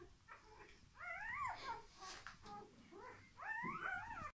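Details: Dogo Argentino puppies at a breeding kennel during a relaxation technique: two drawn-out, wavering whines that rise and then fall, with softer whimpering between them and a low hum in the background.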